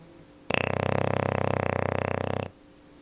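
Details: English Bulldog named Luna snoozing and snoring like a chainsaw: one long, harsh, rattling snore of about two seconds with a rapid pulsing flutter through it, then quiet.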